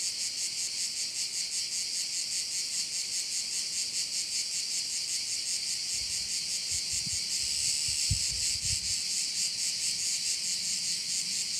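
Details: Korčula bay, Croatia: crickets keep up a loud, high, throbbing chorus without pause, while low rumbling knocks and bumps come through in the second half.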